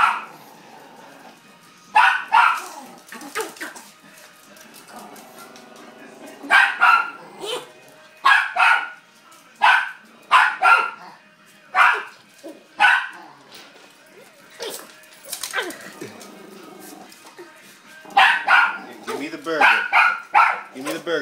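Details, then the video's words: Chihuahua excited over a hamburger, giving sharp, high barks in bursts, some single and some rapid clusters, with quiet gaps between, a person speaking and faint background sound. "Chihuahua goes crazy for hamburger"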